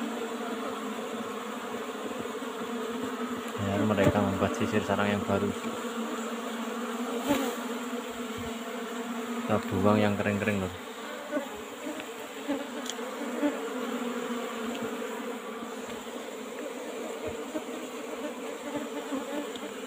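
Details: Asian honey bee colony buzzing steadily while combs are taken from its old-style box hive. The low swarm hum runs throughout, interrupted twice by short, deep, tonal bursts.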